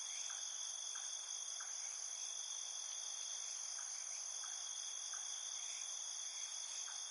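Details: Field crickets at night in a field producing an unbroken, high, ringing drone of layered tones, accompanied by faint, soft, irregular ticks beneath.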